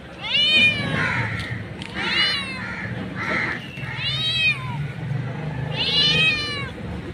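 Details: Street cat, a mother calling for her kittens, gives high harmonic meows that rise and fall, four main calls about every one and a half seconds over low background rumble.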